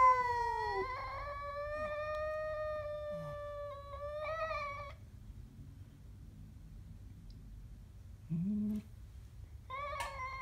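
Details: Siamese cat threatening a stray: a falling then level yowl for about four seconds, a quiet stretch with a soft low murmur and a brief low grunt, then a short renewed yowl at the end.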